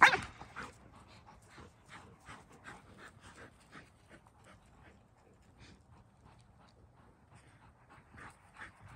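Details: Evening playtime for three house dogs, an Akita, a Malinois and a Corgi, before bedtime. One loud bark-like burst opens, followed by quiet, rhythmic panting breaths that repeat steadily and slowly fade.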